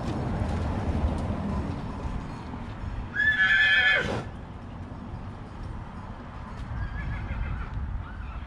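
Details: Horse at Ciumarna in Bucovina: one loud, shrill whinny of about a second, with a clear harmonic stack, cuts through a steady low rumble of background noise and faint hoof-like knocks.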